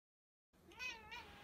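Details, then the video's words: Female Bombay cat sitting by a window watching birds and chirping at them: one brief, soft chirp that rises and then falls away, heard after a moment of silence over a faint room hiss. "KITTY TALKING TO THE BIRDS!"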